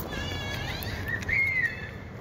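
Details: A hungry cat being fed dry fish lets out a high, drawn-out meow. The call rises, holds a steady tone, then slides slightly down over about a second, above a low background hum.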